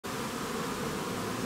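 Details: A wasp raiding a honey bee hive and overpowering the bees makes a steady, dense buzzing of wings.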